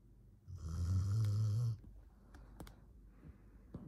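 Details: Deeply asleep in the morning, Fern the 13-year-old Border Collie gives one drawn-out, low buzzing snore, followed by faint clicks and tapping like a keyboard in a small indoor room.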